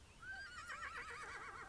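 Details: A New Forest pony in local marshes gives one whinny lasting about a second and a half: a clear opening note that breaks into a fast, quavering trill, with faint outdoor noise.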